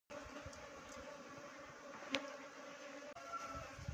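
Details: Swarming honey bees in a village setting, a steady humming drone with even tonal bands, broken by a sharp click near the middle and a brief dropout near the end.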